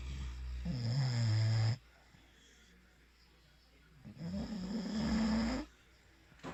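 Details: Sleeping English Bulldog named Valentino snoring: two long, rasping inhalation snores, each over a second long, with a low buzzing drone that slides slightly upward, separated by quiet breaths.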